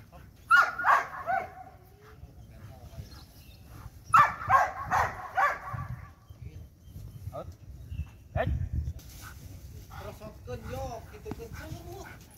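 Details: During light training a Belgian Malinois gives two clusters of rapid, rough barks about three seconds apart, followed by quieter whines and background noise.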